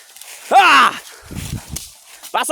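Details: A hungry goat being herded home with its flock; a single loud, quavering bleat that falls in pitch, followed by quiet shuffling and a brief voice at the end.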